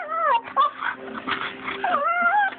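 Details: A female husky cries while someone blows on her, giving wavering, sliding whines that dip and rise again, with breathy yips and whimpers between them.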